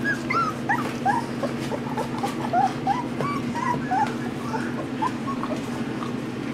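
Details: Australian Shepherd puppies about two and a half weeks old whimper and squeak in a busy, overlapping chorus of thin, wavering cries.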